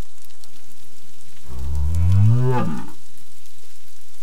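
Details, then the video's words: Southern right whale in South West Australia near Augusta, studied for acoustic behaviour: a single low moaning call about one and a half seconds long, rising then sweeping upward with rich harmonics, over quiet background noise. "Acoustic behaviour of Southern Right Whales"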